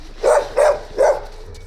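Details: Young, large-pawed Gampr found straying on a street in Abovyan, Armenia, its owner being sought; three short, mid-pitched barks come at roughly even intervals of about 0.35 seconds.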